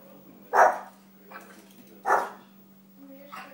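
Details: Little dog playing and training, giving two loud sharp barks about one and a half seconds apart, with softer yips between them and a steady low hum beneath.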